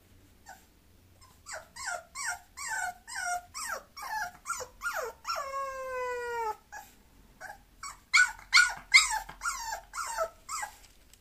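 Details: Bulloxer, a mixed-breed dog, giving high-pitched whimpering yelps, each with a sliding, falling pitch. They come in quick series about twice a second. Midway there is one long, drawn-out whine, and a burst of sharper yelps follows near the end.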